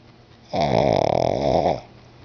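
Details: Pet pug Bruno asleep indoors, giving a single loud snore just over a second long, fluttering and rasping with a steady buzzy tone throughout.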